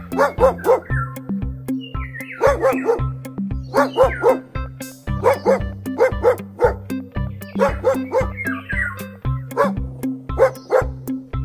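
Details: A dog barks in quick bursts of two to four barks, recurring about every two seconds, over a loud backing track with a steady thumping drum beat and bass notes.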